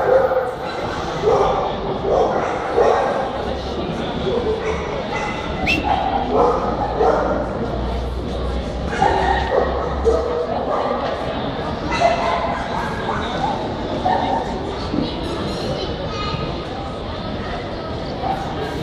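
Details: American Pit Bull Terrier at a dog show in Fortaleza on 1 September 2002, indoors. Sharp barks come again and again over steady crowd chatter and nearby voices in a large, echoing hall.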